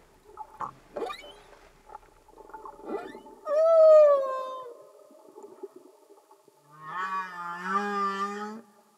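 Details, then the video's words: Humpback whales singing underwater with only natural sound: faint grunts and knocks lead into a loud, smoothly falling moan, then a long low rising groan thick with harmonics. "Amazing singing Humpback Whales"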